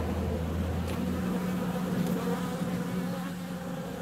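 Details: On a warm February day honey bees are out flying, giving a continuous low hum; a deeper drone fades after about a second, leaving a steadier, slightly higher buzzing tone that persists to the end.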